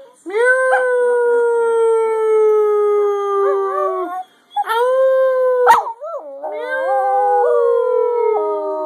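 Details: Scruffy, a singing dog, holds long, steady howls that slowly sink in pitch. After a short break the howl returns, cracks and wavers mid-phrase, then settles into a sustained tone with a sudden downward step near the end.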